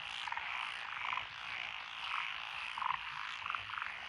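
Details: Many frogs calling together in a lotus paddy field beside a rural road, Echizen, Fukui, June 2021; continuous croaking hum with several sharp, rapid rattling notes standing out near the end.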